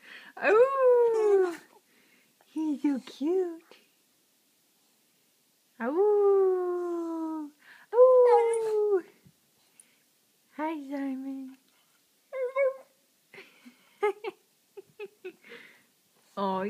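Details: Pet dog "talking" when especially happy: drawn-out, tonal howling yowls that slide downward in pitch, delivered in separate phrases of one to two seconds with short pauses, indoors, with a person's voice and soft music between.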